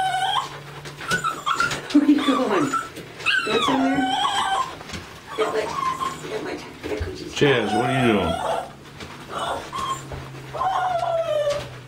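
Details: A Lhasa Apso whines and cries in high, wavering, drawn-out notes while being given a bath, as a person talks soothingly to her.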